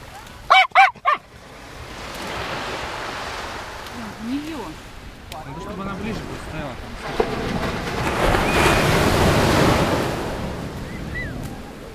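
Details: Jack Russell Terrier playing its favourite game on the beach gives three quick, sharp, high barks in a burst at the start. Surf and wind noise fill the rest, with people talking in Russian nearby.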